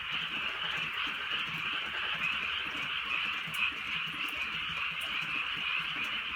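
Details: Frogs croaking together on a drizzly rural night, countless overlapping rattles forming a thick, even drone, punctuated by occasional faint raindrop clicks.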